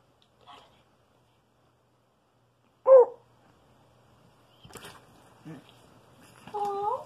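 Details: A Redbone Coonhound giving hugs and affection gives a sharp yelp, then a drawn, wavering whine after a pause.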